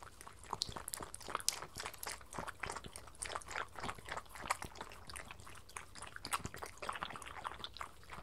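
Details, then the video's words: Two pet dogs, a Miniature Schnauzer and a Sheltie named Spencer, eat breakfast from lickimats indoors: steady, rapid crunching and wet licking clicks continue throughout, dense and irregular, with no other noticeable sounds. "Satisfying Crunchy Eating and Drinking Sounds 🐶 Cute Miniature Schnauzer and Sheltie dog"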